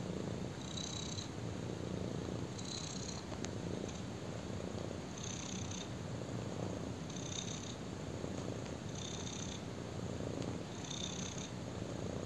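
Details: Kitten, black-coated, purring while lying on a person; low continuous rumble rising and falling with breaths roughly every two seconds, each cycle topped by a light hissing sound, one faint click.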